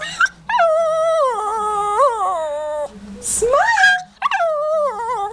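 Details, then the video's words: Shih Tzu complaining about a bath: a long, sustained, howling whine that wavers and dips for over two seconds, breaks off, then swoops up again into a second drawn-out, wavering moan. "Shih Tzu complains about smiling & bath"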